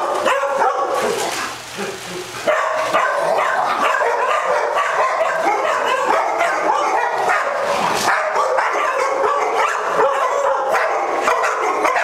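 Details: A group of dogs with simultaneous zoomies at a day care in Las Vegas, Nevada, October 5, 2009. Steady, busy racket of overlapping yips and barks, more than two a second, briefly dipping near two seconds before resuming loudly.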